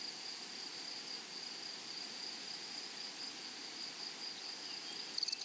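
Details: A steady high insect chorus from grasshoppers in flowery prairie grassland, ringing on one pitch, with a brief burst of louder rapid clicking ticks near the end.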